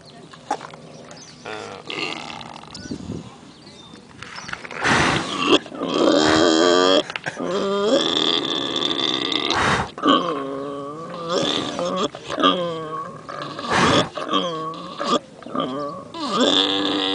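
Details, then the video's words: A pig at Pioneer Village in Phoenix snores while apparently dreaming, with rough, wavering snorts and grunts that rise and fall in pitch between noisy breaths. "Funny Pig Noise (and gross)"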